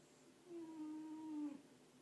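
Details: Female Frenchie asleep and snoring, giving a single drawn-out whistled tone about one second long. It stays even in pitch, then dips and breaks off at the end, in a quiet indoor room.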